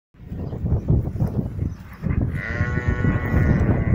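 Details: One of eight sheep gives a drawn-out, quavering bleat in the second half. Heavy low rumbling and scuffling thuds, likely handling or wind, fill the clip, loudest in the first two seconds.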